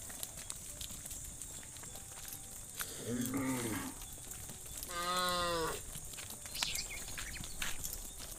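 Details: A herd of cows led through a muddy rice field to the livestock pen gives two drawn-out moos, a lower wavering one followed by a clearer, steady, richly harmonic one, over a quiet outdoor background.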